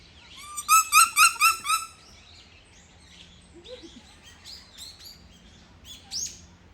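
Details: Bush dogs at Yokohama Zoological Gardens Zoorasia, recorded 21 November 2022: a quick series of five high, bird-like squeaky chirps, then softer scattered squeaks.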